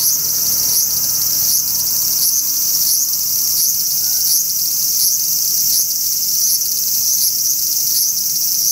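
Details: Cherry tree in a park holds a singing large brown cicada, its harsh, unbroken sizzle throbbing in soft, uneven pulses over a steady high hiss.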